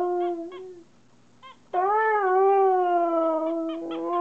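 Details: Siberian Husky talking back to its owner: a short wavering howl, then a pause, then a louder sustained howl that jumps up, slides slightly and holds steady for over two seconds, rich in clear overtones.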